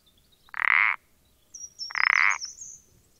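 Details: Common parsley frog (Pelodytes punctatus), recording dated 14-04-20: two rasping, creaky croaks about 1.4 seconds apart, each roughly half a second long, with faint high twittering overhead.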